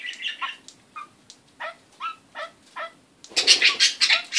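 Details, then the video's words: Kakariki parrot producing strange noises: a string of short, nasal, downward-sliding chuckling notes repeated about three times a second, then a loud, harsh, scratchy burst of chatter at the end. "Kakariki parrot funny noises"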